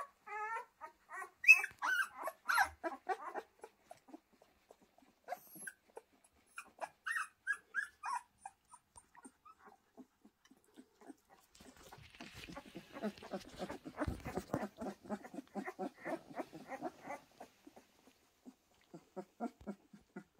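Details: Pyrenean Mountain Dog puppies letting out scattered high yips and squeaks, sparse in the middle, then a stretch of rustling, scuffling noise with soft grunts before a few more isolated yips.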